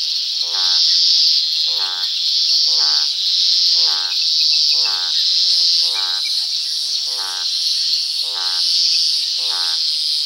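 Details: Toads croaking at dusk: short pulsed, harmonic croaks repeated about once a second, nine in a row, each rasping and slightly rising, over a steady, shrill insect drone.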